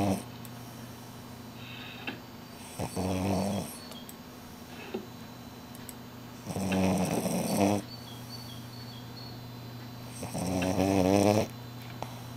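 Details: French Bulldog named Shila snoring during her afternoon nap indoors, three loud harmonic snores roughly every four seconds, each a raspy, buzzing inhale lasting about a second, with quiet breathing between and a steady low hum behind.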